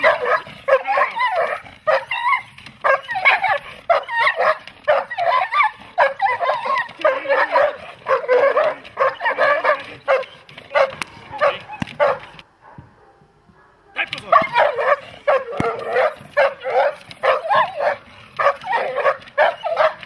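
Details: Dogs such as German Shepherds and Malinois in protection training, rapid repeated harsh barking in bursts, a pause of about a second and a half, then the barking resumes; a handler speaks Slovak praise.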